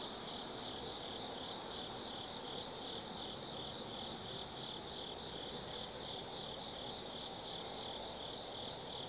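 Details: Autumn insects chirping at night in the Tsukimi no Mori forest, Nanno-cho, Kaizu, Gifu, Japan, near a 180 m lookout over the Nobi Plain: a dense, steady high trill with a brighter pulsed layer above, swelling roughly every second and a half, over a low rumble.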